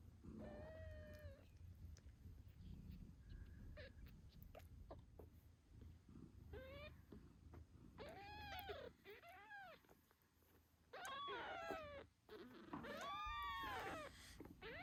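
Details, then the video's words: British Shorthair kittens eight days old, nursing beside their mother Moon Stone, give thin, high, arched squeaky meows, some single and some in quick bursts of two or three, over a soft low rumble. "Cute Kittens Meowing Yawning Sleeping Cat Mom Purrs Loudly"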